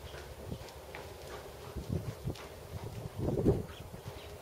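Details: Hoofbeats of a big black seven-year-old Percheron/Thoroughbred gelding, 16.2 hands, schooled to second level, during dressage work; soft irregular low thuds, several close together, with a louder cluster near the end over quiet outdoor background.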